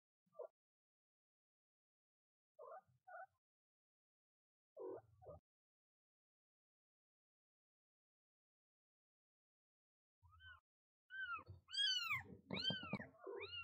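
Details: Mother cat and her first-day newborn kitten: a few short, low maternal calls give way near the end to a burst of thin, high, arching kitten mews repeated rapidly over low murmurs.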